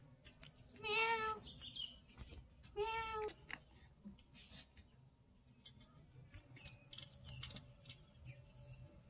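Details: Domestic cat eating from a 200-year-old jar it likes to get into; two drawn-out, wavering meows about two seconds apart, followed by light clicking and clattering.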